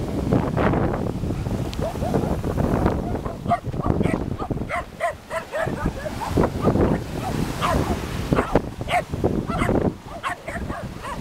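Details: Wild sea lion met on a walk by the ocean near Máncora in northern Peru, giving a run of short, hoarse, dog-like barks in quick succession, bunched from about three seconds onward, over a steady low rumble.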